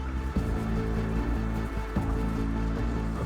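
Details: Music plays throughout with steady low tones and soft patter, and no animal voice is heard.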